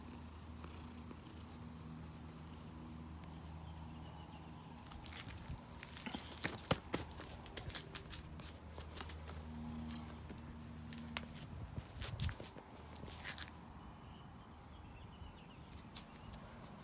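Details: Female house cat greeting a person in a garage in the morning; low steady purring in two long stretches, with clicks, rustling and faint background hum.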